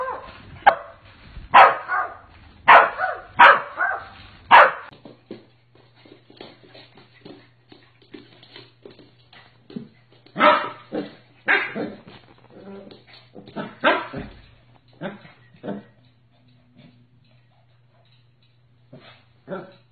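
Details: A Corgi lets out a rapid run of loud barks, pauses amid quieter scuffling and soft yips, then resumes with another cluster of barks before trailing off to isolated yaps over a faint steady hum.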